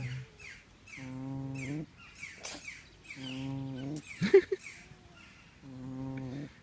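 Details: Pig snoring in three long, low, rasping snores of nearly a second each, with a sharp knock between the second and third.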